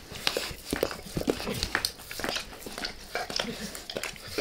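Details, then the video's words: Indoors, Max the dog licks his owner's face up close, recorded for ASMR without talking; quick wet slurps and sticky clicks come about twice a second, uneven and crisp. "Max Licks | Face Part Deux | ASMR DOG LICKING"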